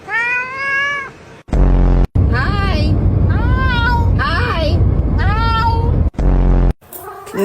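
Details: Domestic cat meowing indoors while a person coaxes it to say mama; a long wavering meow opens, followed by several bending, vocal-like meows mixed with human speech and interrupted by short, loud, abrupt bursts of sound.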